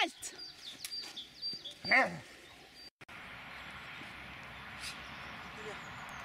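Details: Magmar Von Der Burgstätte, an 11-year-old Dobermann, gives one sharp, loud, harmonic bark near the two-second mark, preceded by softer scattered sounds and followed by quiet outdoor background.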